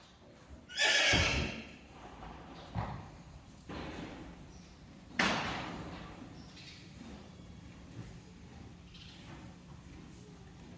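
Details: Friesian mare, taken to the stallion for breeding, gives one loud, harsh, broad whinny lasting about a second, then a second shorter neigh about four seconds later, with soft knocks and stable noises between.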